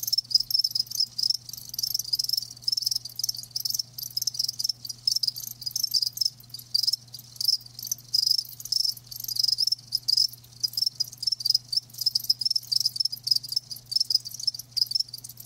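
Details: Live crickets chirping steadily, high pulsed trills repeating in rapid bursts with brief gaps, several insects overlapping; faint low steady hum underneath.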